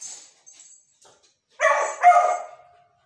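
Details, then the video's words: A Beagle puppy named Manju howls because she wants her favourite food. Faint squeaks come first, then two strong, tonal howl notes, the second one longer and trailing downward. "Beagel Puppy Manju Howling voice।Beagle dog want to eat Her Favourite Food.."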